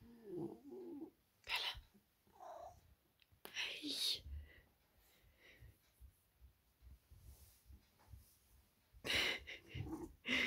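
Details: A Maine Coon in very deep sleep snores in loud, breathy rasps at irregular intervals.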